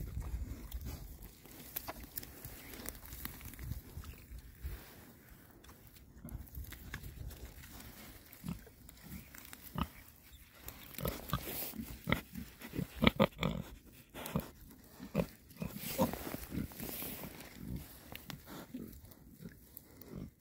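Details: Six male rare breed Oxford Sandy and Black pigs, content, foraging outdoors in winter between storms; many short soft grunts and snuffles scattered throughout, mixed with crunching and rustling from rooting in the ground.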